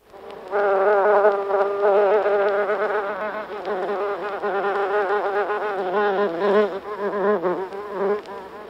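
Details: Several buff-tailed bumblebees buzzing close up inside their nest in the U.K.; a dense, continuous droning hum with steady low tones and wavering overtones, swelling and dipping in loudness throughout.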